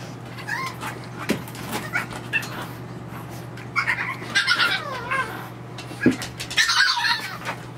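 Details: Playful French Bulldog puppies in a nursery let out repeated squealing, wavering yips and whines, clustered in the second half with a final burst near the end, over a constant low electrical hum.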